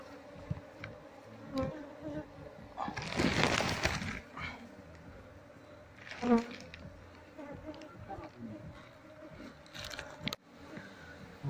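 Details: Wild Asian honey bee colony, Apis cerana, nesting under a septic tank and being moved into a hive box. A steady low humming drone with overtones runs throughout, broken by loud handling noises and bursts of a man's speech.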